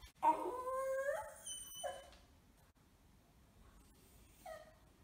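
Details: A 6-month-old male beagle puppy, wearing a cone after neutering surgery and seemingly resentful, gives a long wavering whine, then shorter whimpers after pauses.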